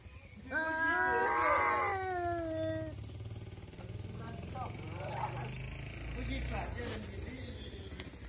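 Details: One of two orange village cats gives a drawn-out, wavering yowl during a fierce fight over territory, or possibly over a female.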